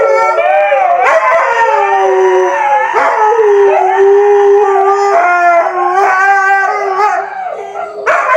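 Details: Siberian Husky howling in long, wavering, mournful tones that slide up and down, broken by brief gaps and yips before the next drawn-out note.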